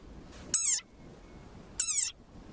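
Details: A very angry desert rain frog gives its war cry: two high, shrill squeaks, each about a quarter second long, like a squeezed dog toy.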